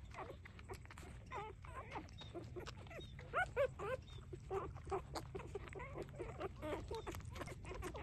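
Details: Nursing puppies, three days old, make scattered short squeaks and whimpers, with a louder cluster of wavering squeals near the middle, over a constant low hum.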